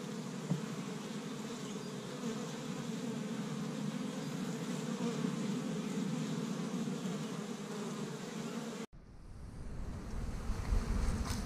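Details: Honey bees busy at an established hive in Michigan on the first warm spring day, foraging tree-bud pollen; steady buzzing drone for about nine seconds, then an abrupt cut to a deeper rumbling background.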